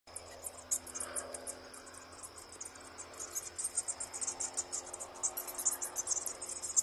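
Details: A colony of more than a thousand bats roosting in a storeroom roof, flying at night: dense, irregular high-pitched squeaks and clicks in rapid bursts, with a faint steady high hum throughout.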